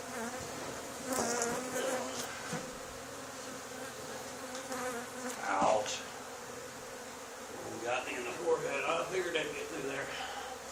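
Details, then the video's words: Honey bee swarm landed on the wall of an old barn, two days after another hive was cut out of it, droning in a steady low hum during removal, with people talking over it now and then. "Honey Bee Swarm removal from old barn 2 days after cutout of another hive"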